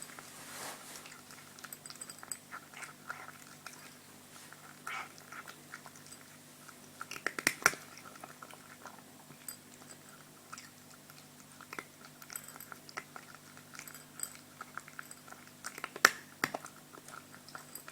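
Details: A hungry, greedy brown cat with white paws eating at feeding time indoors: irregular crunchy chewing and biting clicks, with sharper louder bursts near the middle and toward the end.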